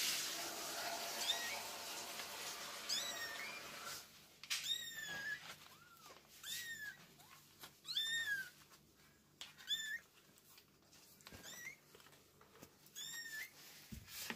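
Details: Kittens with their mother cat: a steady run of about eight high, thin meows, each an arching whine, rising then falling, coming every second or so after a hissing rustle at the start, with faint clicks and taps.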